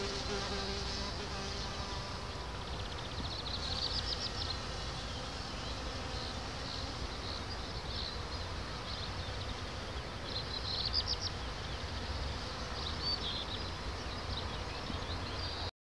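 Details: A bumblebee's low, droning wing buzz hums steadily beneath rushing wind in a lavender field between Orange and Uchaux, Vaucluse, France, on 10 June 2018.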